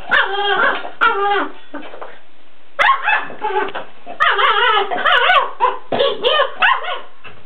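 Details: Sarge, a Weimaraner, barks at his empty food bowl: a rapid run of high, harmonic barks and yelping whines in uneven bursts, some rising and falling in pitch, with short pauses between volleys.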